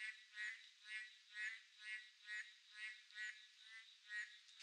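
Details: On a midsummer night, boreal digging frogs give buzzy, nasal croaks in a fairly even rhythm of about one per second, with neighbouring callers overlapping and a faint continuous high hum behind them.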